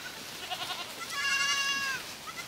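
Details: Miniature goat kids playing at pasture on a French farm; a clear, strongly harmonic bleat rises and holds for about a second, preceded by fainter wavering bleats, with a light outdoor background.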